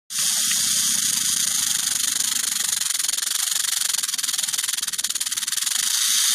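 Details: Western diamondback rattlesnake rattling: a dense, steady high-pitched buzz that starts abruptly and runs without a break for about six seconds, with a faint low murmur underneath during the first half.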